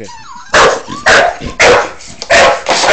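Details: A Bull Terrier gives loud, sharp barks in quick succession, about twice a second, while playing with a hamster as its owner tries to calm it.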